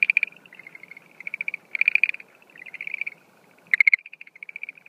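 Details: Breeding-season night chorus of Schlegel's green tree frog, 17 April 2013: overlapping trains of quick dry clicks, louder and softer, suggesting more than one caller, ending in a sharp loud rattle.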